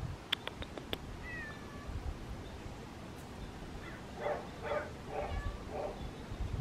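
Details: A white cat meowing: four or five short, nasal, harmonic meows in quick succession in the second half, after a few sharp clicks and a faint thin falling whistle early on, over a steady low rumble.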